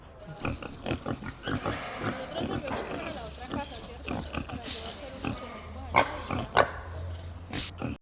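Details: Pigs grunt in low, rough bursts, with a human voice heard alongside.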